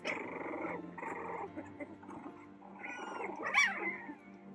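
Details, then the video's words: Playing Boston Terrier puppies growl in rough, buzzy stretches, breaking off and resuming, then one brief high yelp near the end; quiet background music hums throughout. "Puppies Playing to Puppies Sleeping In 10 Minutes | Boston Terrier Puppies"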